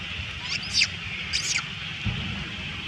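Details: Little female monkey crying loudly as other monkeys steal her food: two high, shrill, wavering cries about a second apart, over steady outdoor hiss and a low thump near the end.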